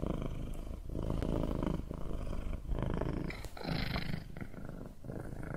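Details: A cat's rumbling purr, loud and close, interrupted at regular intervals by breath pauses, with a slightly breathier, hissing stretch midway.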